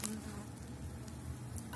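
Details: Elgon bee colony at the opened hive in spring after wintering, candy paste just added: brief, fairly quiet low steady hum of many bees with soft rustling.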